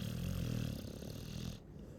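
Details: Single drawn-out snore from a sleeping Chow Chow, a low throaty rumble fading after about one and a half seconds.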